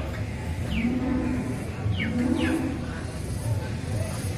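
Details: A Limousin animal at Grabag cattle market, 25 April 2022, gives two short low, steady moos amid constant market rumble, while quick high downward chirps cut in between them.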